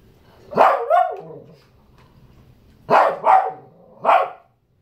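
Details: Shih Tzu barks in short, sharp bursts, angry and demanding fruit.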